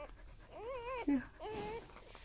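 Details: Newborn golden retriever puppy from a litter of eight, whimpering in two wavering, tonal cries that dip and rise in pitch, each about half a second long, with a person's voice talking around them.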